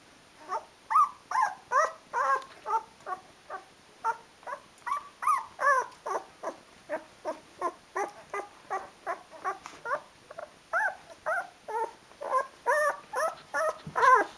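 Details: Rhodesian Ridgeback puppies, 12 days old: a steady run of high whimpering squeaks, roughly two or three each second for fourteen seconds, each note bending up and down, fairly even in loudness.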